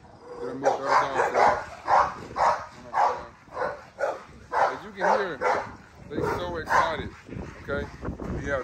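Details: Adult dogs let outside, excited and eager to play with the puppies, barking in a steady run of sharp barks about twice a second, with a man talking over them.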